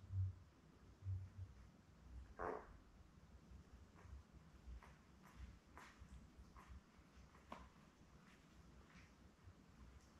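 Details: Puppy cam indoors on a litter of seven newborn Labrador Retriever puppies born May 24, 2021, with mother Belle; one short thin cry partway through, surrounded by soft rustles, low hum and faint taps.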